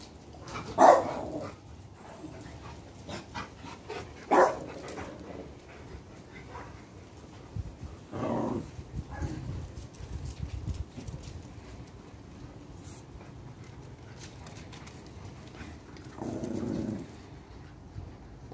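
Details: A Rottweiler guarding its home and people gives deep, single guard barks spaced several seconds apart, warning off intruders.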